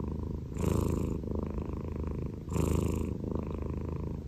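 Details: Prick-eared Scottish Fold pet cat purring: a steady low rumble that swells into louder phases about every two seconds, each breath cycle clearly separated.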